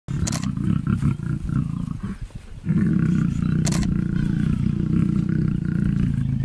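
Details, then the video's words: Lions mating at MalaMala: a deep, loud roaring with pulsed low rumbling, broken briefly near the middle before resuming steadily; faint clicks above. "Lions mating"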